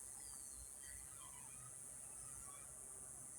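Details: Cicadas starting to shrill in the evening at sunset in Yuma, a loud steady high-pitched drone filling the background, with faint thin whistles above low murmuring.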